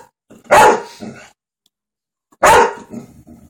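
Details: Golden retriever indoors barking at dogs on TV: two loud, sharp barks about two seconds apart, each followed by softer low grumbling sounds.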